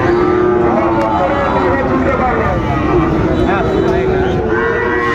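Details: At a cattle market where a young Sahiwal bull is being priced, 13 February 2025: a sustained low moo rising and falling slightly, with further lowing later, under dense background talk and crowd noise.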